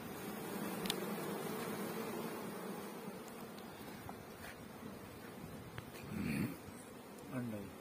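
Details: Honey bees at a bee farm in Pakistan, kept for beekeeping: a steady low droning hum of many bees runs throughout, with a few soft knocks and brief faint voices.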